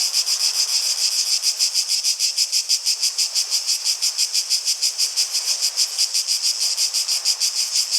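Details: A steady cicada chorus: shrill, hissing buzz, throbbing in strong, regular pulses roughly three per second throughout.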